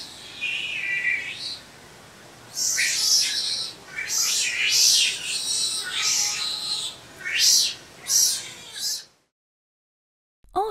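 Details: Otter giving a run of high-pitched squeaks and chirps: a thin, wavering squeal first, then clusters of sharp, shrill chirps that rise and fall over a soft, steady background hiss.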